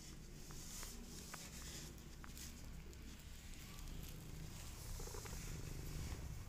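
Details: Mother cat with her kittens, purring softly: a quiet, continuous low rumble with a steady pulsing texture, broken by a few faint clicks and light rustling noises.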